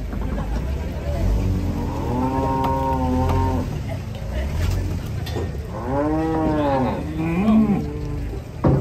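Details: Cattle being unloaded from a truck in Indonesia: a long harmonic moo around two seconds, then a second arched, rising-then-falling moo near six seconds, with a shorter low call after, over steady engine-like rumble and faint music.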